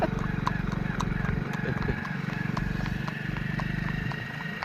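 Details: Horse ridden on a Sunday outing near Narnaul: steady clip-clop of hooves, fast and fairly regular, several beats per second, with low rumbling background and faint human voices throughout.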